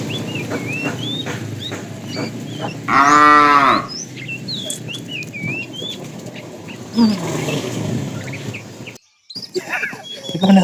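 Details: Tame cow in an afternoon herd calling the female: one loud, strongly harmonic moo lasting about a second near the three-second mark, a fainter bellow later, with frequent bird chirps and rustling in the background.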